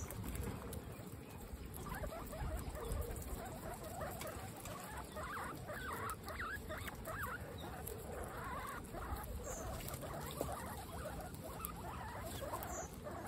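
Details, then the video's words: Guinea pigs at dinner time, part of a group of 26 pet females, with soft sweeping squeaks over continuous crunching and rustling while they eat. "Guinea pigs peaceful dinner time"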